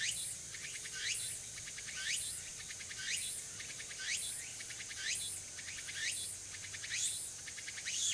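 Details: Early autumn afternoon chorus of a tsukutsuku-boshi cicada at Nishinoomote on Tanegashima, Japan, 6 September 2022: rhythmic rising buzzy sweeps, each ending in a bright high burst, repeated about once a second over a constant high insect drone.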